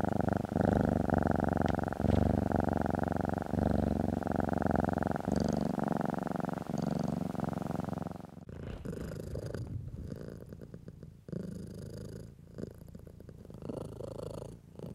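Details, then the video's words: House cat purring as it is stroked: a strong, low, vibrating purr with rhythmic breath pauses for about eight seconds, then the sound turns quieter and rougher, with muffled rubbing noises. "Stroking & Purring"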